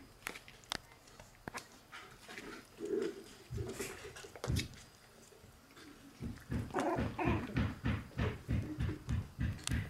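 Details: White female Shiba Inu puppy born 24 December, giving short whimpering yelps: a few scattered cries early, then a quick, steady run of brief whines in the second half, with a few sharp clicks and knocks throughout.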